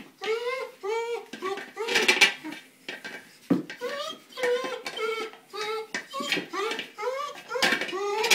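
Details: German Shepherd, male, frustrated at failing to puncture a small buoy he is attacking; a steady run of short, rising-falling whined yelps roughly every half second, with clattering knocks mixed in.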